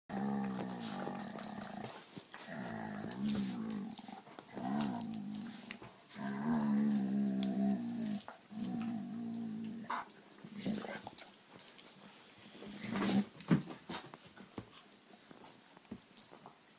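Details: Dogs, a Diamond Blue Dalmatian and Bonnie the King Charles spaniel, trade low rumbling growls in repeated bursts of one to two seconds, some rising and wavering, with short pauses and rustling between them.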